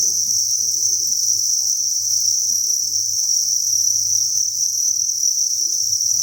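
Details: Inside a cricket farm holding thousands of insects, a continuous sharp, high chirping chorus rings uniformly, with only faint low murmuring and soft scratches in the background.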